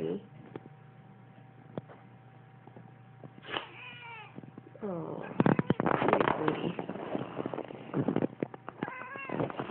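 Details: Domestic cat indoors meowing when its owner sneezes; a few drawn-out harmonic meows, then a burst of sneezing and chatter with further meows at the end.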